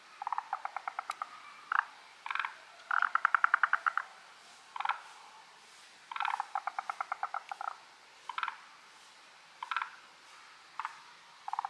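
A chorus of forest green tree frogs giving rapid, rattling trains of clicky notes and short croaking bursts.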